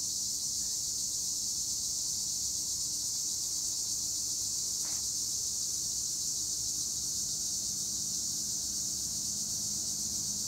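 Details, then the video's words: Acheta assimilis tree crickets sing in Turkish olive trees at Güre, Edremit. The thin, high, relentless trill holds even throughout, with a soft low hum and one brief click midway. "Tree cricket noise in Olive trees - acheta assimilis"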